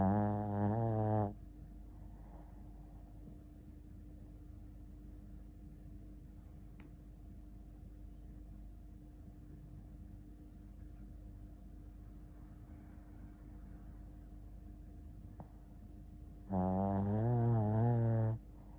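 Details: Shih Tzu named Ponta asleep, two deep, rumbling snores with rich low harmonics, one at the start and one near the end, separated by a long quiet stretch with a faint steady hum.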